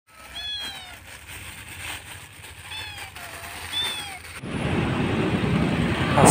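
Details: Hungry orange stray kittens, three of a mother cat found at a market in Bandung, Indonesia, at night while being fed: thin, high meows in three short bursts, each rising then falling, before a loud rumbling noise takes over.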